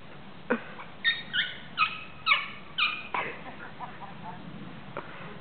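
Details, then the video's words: Small dog attempting to bark, managing only about five squeaky, high, harmonic yelps in quick succession over two seconds, followed by a few softer, lower sounds. "Auch kleine Hunde können bellen... zumindest fast"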